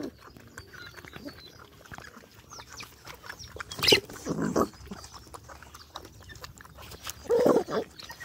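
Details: Hungry dogs, a mother and her nursing puppies, being fed. Amid steady clicking and smacking eating noises, short tonal whines or yelps break out, one brief sharp burst near the middle and a longer whimper near the end, with faint bird chirps behind.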